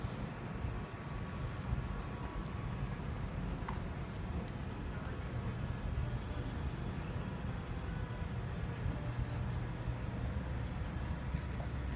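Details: Steady low rumble of vehicles and urban outdoor background, with faint murmured speech and no animal voice.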